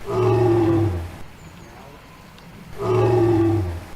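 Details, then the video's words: Adult female lion's roar, used by lionesses to keep contact with pride members and answer distant calls: two deep, sustained moaning roars about a second long, with a quiet pause between them. "Lionne qui Rugit"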